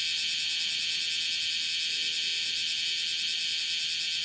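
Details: Bear cicada walking on a room's screen window while calling, July 31, 2018, mid-morning; continuous high, metallic buzzing drone, even in loudness, with subtle rapid flutter.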